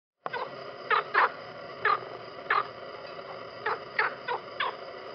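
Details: Frog croaking in a pond: short, harsh, raspy croaks, about nine within five seconds at uneven intervals, some in quick pairs, over a steady background hiss.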